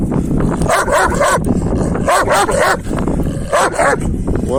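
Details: Kangal males pursuing a female give three rough, harmonic bark bursts spaced about a second apart, each a cluster of quick yelps, with a person talking nearby and low outdoor noise.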